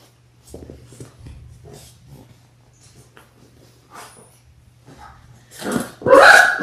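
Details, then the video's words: Labrador Retriever puppies in their sixth week, six littermates born January 18, 2022, on a February 28 puppy cam: soft snuffling and shuffling sounds, then a sudden loud, rough yelping burst at the end. "6 Adorable Labrador Puppies in their 6th Week!"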